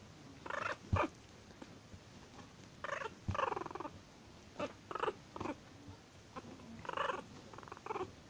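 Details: Angry Chihuahua growling and snarling in repeated rasping bursts spread over several seconds, some clusters of rapid pulses, separated by short silences in a quiet indoor setting.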